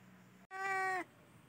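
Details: Cat during a festive spring season giving a single clear, tonal meow of about half a second, steady then dropping slightly at the end, after a brief low hum.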